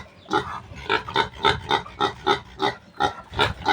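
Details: A weaned piglet from a new sow's litter, gone wild and hard to catch around the yard: a quick series of rasping grunts with a nasal ring, about four per second, over low background rumble.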